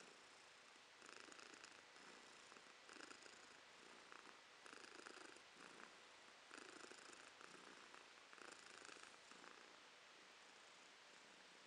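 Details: Romashka, a cat, purring in January 2023: a steady rumbling purr that swells in long bursts roughly every two seconds, rising and falling with each breath, over a faint hiss of room noise.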